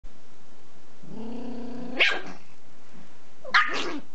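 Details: Porthos, a six-month-old cream-sable male Pomeranian puppy at a dacha, guarding a bone from his mother: a steady low growl about a second long, then two sharp barks spaced a second and a half apart.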